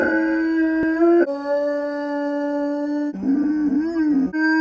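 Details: Miller the dog howls in a long, steady, mid-pitched tone with rich overtones, briefly stepping up in pitch at the start, then dropping lower and wavering near the end before returning to a level note.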